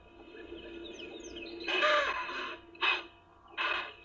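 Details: On a January morning safari drive, a herd of impala females with one male give three harsh, breathy alarm snorts: one long, then two short blasts about a second apart, probably a false alarm. Faint bird chirps sound beforehand.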